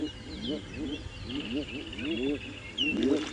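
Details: African bullfrogs in a chorus at a breeding pond on a rainy sunrise morning, 29 December 2016, give low, arched, rising-falling croaks overlapping about three times a second, with splashing and a thin, steady whistled bird note above.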